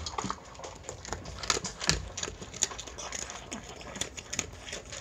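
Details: Miniature Pinscher called Chi-chan eating a meal of dog food indoors, with quick irregular crunchy clicks and pattering bites through the whole stretch, some louder crunches standing out, in a quiet small room.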